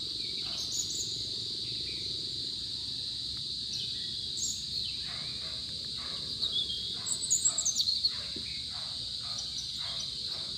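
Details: Crickets chirping where santol fruit lies scattered on the ground: a steady, high, unbroken shrill trill runs through the whole recording, with a few brief bird chirps and twitters breaking in near the end.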